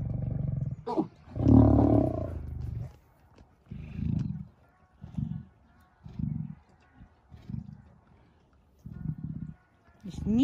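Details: Lion among lioness Simona and males Sultan and Girey: a strong roar, then a sequence of short deep grunting pulses, about six, spaced roughly a second apart and gradually fading, with a faint voice in the background.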